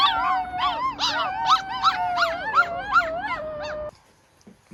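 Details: Wolf pups rescued from the wild give a run of quick, bouncing yelps over a sustained howl, with a steady tone underneath. Then it breaks off abruptly into near silence.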